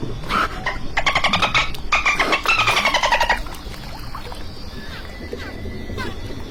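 A dolphin gives rapid buzzy pulsed squawks in quick bursts, followed by faint thin whistles.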